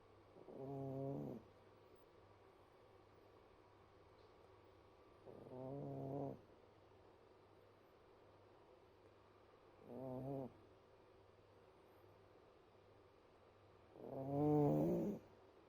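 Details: Cat snoring: four low, rasping, buzzy breaths, each about a second long, coming roughly every four seconds, with the last one loudest; otherwise quiet.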